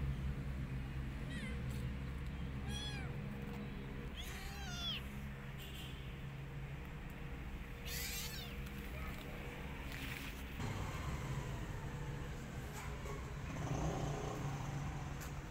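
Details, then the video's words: Rescued kitten, abandoned and lonely, calling for its mother: several thin, high meows, some rising and falling, scattered over the recording against a steady low hum, with brief speech near the end. "Rescued Kitten Feeling Alone Need Mother Cat Love"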